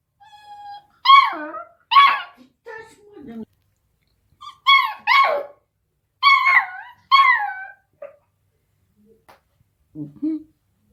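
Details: Eight-week-old Beagle puppy barking at a deaf cat indoors: high, harmonic yelping barks and whines, mostly in close pairs, with quieter whimpers between and a short low grumble near the end.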